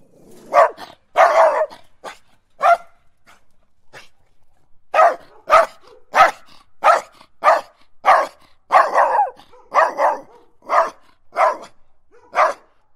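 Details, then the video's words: Angry guardian dog barking: loud, rough barks, singly and in short bursts of two or three, about fifteen in thirteen seconds, with a pause near the middle; no other sounds. "Angry Guardian Dog barking Sound"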